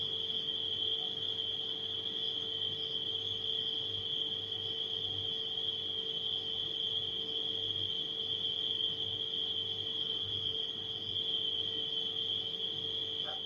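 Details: Nighttime crickets sustain an even, piercing trill at a fixed pitch for the whole stretch, accompanied by a refrigerator's low continuous humming.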